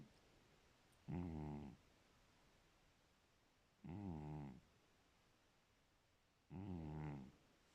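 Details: Sleeping cat, nicknamed 'my girlfriend', snoring: three low, rattling inhalations lasting about half a second each, coming roughly every two and a half to three seconds against a faint background hiss.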